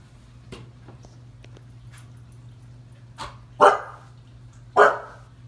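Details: Frightened by a clown from IT paused on the television, a seven-month-old female Husky puppy barks indoors. A faint tap is followed by a soft bark, then two loud barks about a second apart over a constant low electrical hum.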